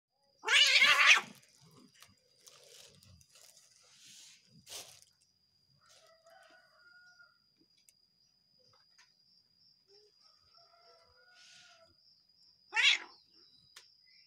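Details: Angry domestic cat hissing at its partner: one loud harsh hiss near the start, another about twelve seconds later, quiet gaps between with faint chirping birds and a steady high electrical whine.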